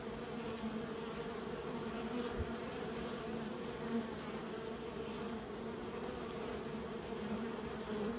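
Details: Kept bees humming steadily as a colony, a dense continuous drone with low bands and a brighter overtone, brief soft knock near two seconds, no other sounds.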